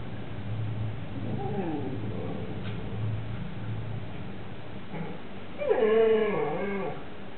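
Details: Siberian Husky household, 18 September 2007: Hugo begs his big brother Mau Mau to share a lamb bone. A soft, falling whimper comes early, then a louder, wavering high whine near the end over a low background hum.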